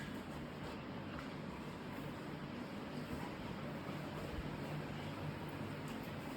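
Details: Constant low rushing noise, like distant traffic or a fan, holding even throughout with no distinct events.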